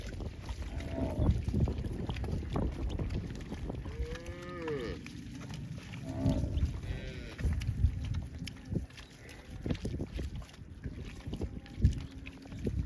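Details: Cow mooing: a few short, arched, rising-then-falling moos midway through, partly buried under steady low rumbling and wind-like noise.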